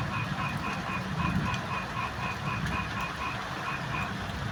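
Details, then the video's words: Frogs calling amid the rain: a chorus of short pulsed croaks, repeated several times a second in a steady rhythm at two pitch bands, over a constant hiss of rainfall and low rumble. "বৃষ্টির মাঝে ব্যাঙের চমৎকার ডাকাডাকি"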